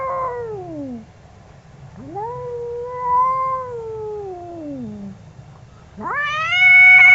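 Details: An angry domestic cat wails loudly, long harmonic howls that rise and fall slowly, the last one jumping sharply up and held, over a low background hum.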